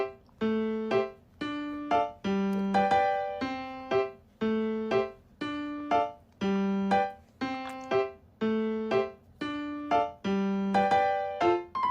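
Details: A looping electric piano melody plays steady repeating notes throughout, with no animal sound.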